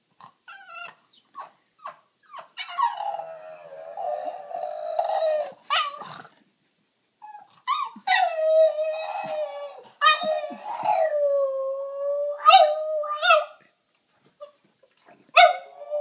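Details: A Boston Terrier indoors has a meltdown while struggling to find a place to hide a bone, whining in long, wavering, nasal cries broken by short yips and grumbles.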